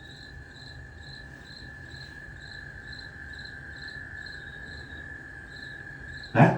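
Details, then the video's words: American toads calling to each other, played back during a nature center night show: a steady, high, unbroken trill, with rhythmic insect-like chirps pulsing above it and a sharp click at the end. "That trill is American toads calling to each other."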